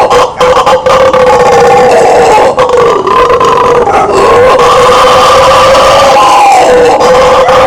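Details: Howler monkey (bugio) roaring: a steady, buzzing, deep chorus that rises and falls gently over nearly eight seconds, rough-edged and loud, without breaks.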